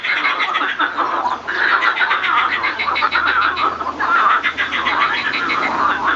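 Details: Male marsh frogs give rapid, rattling, laugh-like croaks in overlapping bursts during the breeding season, with males singing and fighting.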